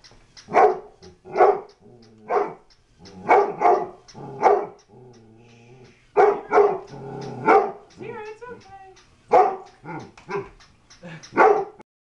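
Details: Domestic dog barking at a flipping toy dog it thinks is real; loud barks repeat in irregular clusters of two or three, with brief quieter stretches of lower sounds between bursts.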